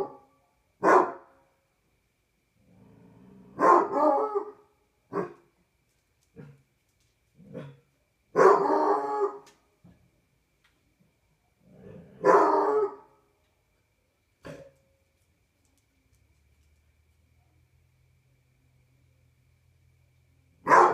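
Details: Barney the Basset Hound on a patio at night, sounding a series of deep barks and short baying howls spaced irregularly over twenty seconds, some louder and drawn out, with quiet gaps and a low hum near the end.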